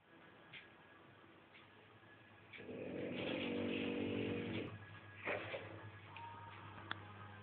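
A sleeping French Bulldog gives a drawn-out, rough, vibrating snore lasting about two seconds. A briefer snuffling breath follows, over a low background hum.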